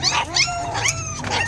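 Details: Several hungry puppies whimpering for food, thin wavering whines that sweep up and down, repeated about every half second, overlapping one another.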